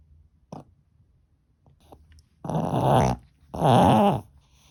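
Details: Maltese dog named Ttoi showing its temper: two loud, harsh, snarling growl bursts, each under a second long, about a second apart, following a faint earlier click.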